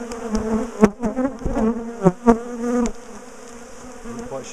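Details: A continuous droning buzz from a large bee colony as its top bar hive is split and relocated, punctuated by loud taps and bumps from the work, the knocks fading after three seconds to leave the hum.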